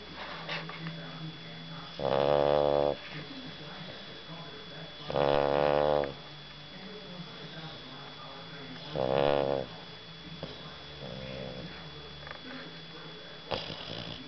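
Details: Sleeping dog snoring in a small indoor room: three loud, buzzy, harmonic snore breaths spaced roughly three to four seconds apart, with quiet breathing and faint background hum between them.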